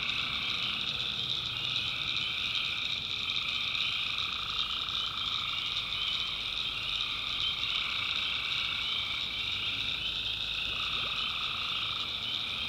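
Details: Nighttime chorus of tree frogs in a North Carolina backwoods swamp, a continuous shrill high wall of sound with a steady lower droning trill that breaks briefly now and then.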